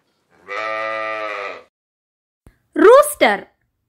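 A sheep gives one steady, drawn-out bleat lasting about a second, followed by a voice saying the word "sheep".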